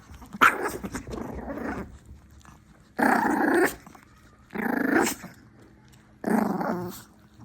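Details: Two Chihuahuas angered while eating: bursts of rough, harsh growling in four separate bouts, each lasting about a second, with quiet gaps between them, indoors.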